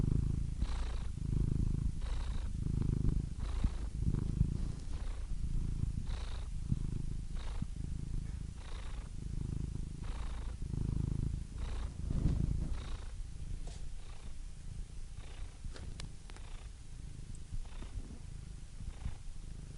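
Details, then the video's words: Relaxed cat purr: a soft, low vibrating hum rising and falling with each breath at an uneven pace of roughly one cycle per second, steady and uninterrupted, nothing else audible. "Soothing Cat Purr Sound Effect"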